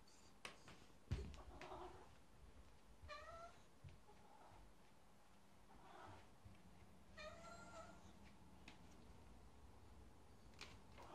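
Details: Domestic cat named Chouchou, a cat that rarely meows, excited about a new treat indoors; several soft meows spread through the clip, a couple clearer rising-falling ones near three and seven seconds, with faint room noise.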